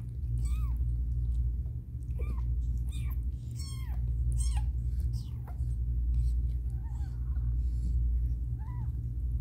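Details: Caramel, a house cat giving birth in a hard delivery, calls with a run of bent, whining meows, about six rising-then-falling cries spaced a second or so apart, above a constant low droning hum.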